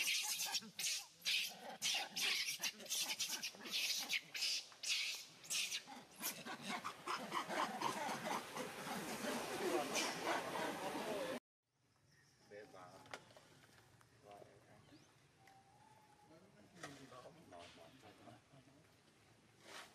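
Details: Monkeys screaming very loudly while one chases another and the chased monkey cries out calling for help; harsh, broadband shrieks repeated rapidly in bursts for about eleven seconds, then quieter background sounds with faint voices.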